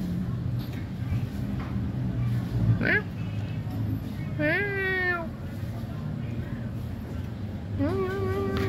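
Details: A pet cat gives two drawn-out, tonal meows that rise then level off, separated by a few seconds. Low background rumble and faint voices accompany them.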